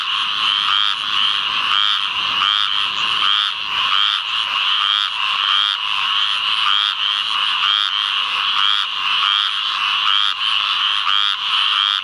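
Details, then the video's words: Squirrel treefrog (Hyla squirella) calling in a field flooded by rains from Tropical Storm Ana, Onslow County, North Carolina, 11 May 2015, with a chorus of many others behind: raspy, nasal notes repeated without pause. "Squirrel Treefrog"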